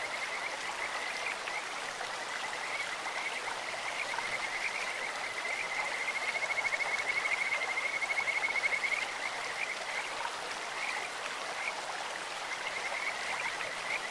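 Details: In a clear stream, a Kajika frog gives a steady high trill of rapid beads of sound through the middle stretch, with softer chirps before and after, all under a continuous wash of running water.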